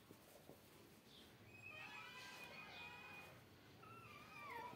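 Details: Kittens, two from outside playing in front of a cat and her three kittens, on day 44: thin, high-pitched drawn-out mews, one long steady cry then a wavering note that falls at the end, over a soft background hiss.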